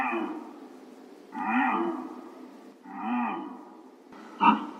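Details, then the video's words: Deer heard in a real recording. Three drawn-out, moaning bleats with a slight rise and fall in pitch, ending in one short, sharp call. "DEER SOUND"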